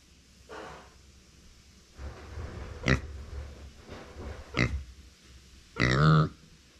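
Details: Micro pig Uni, a female pet born September 2020, vocalizing when no one stays beside her: a run of short nasal grunts, a few every second or so, ending in a longer, higher, strained squealing cry indoors.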